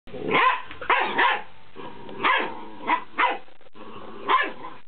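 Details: Twelve-week-old fox terrier pup playing with a new squeaky ball, letting out short hoarse yapping barks, some in quick pairs, about seven in all, over a steady background hiss.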